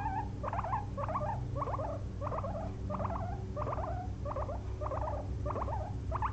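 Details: Two pet guinea pigs napping indoors after a long day of munching frozen blueberries; short squeaky, chirring bursts with stacked overtones come in a steady run, about two each second, over a constant low room hum.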